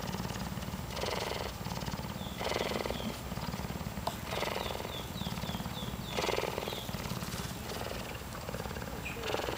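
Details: Cougar kitten purring while cuddling: a steady, low, rumbling purr with a fast, even pulse runs throughout, with bursts of rustling and small bird chirps overhead.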